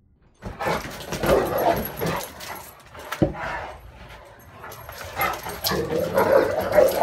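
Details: Male Great Dane on a dog bed, defending it from two sister dogs: irregular deep woofs, growly grumbles and whining yips in bursts.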